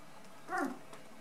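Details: Beauceron puppy, one of eight in a litter at nine days old, gives a single brief whimpering squeak that rises and falls, about a quarter second long, over a quiet indoor hum.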